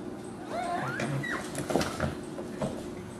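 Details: Dachshund puppies about six weeks old whining: a cluster of squeaky, wavering cries that slide up and down in pitch early on, then scattered fainter yelps and shuffling noises against a steady background hum.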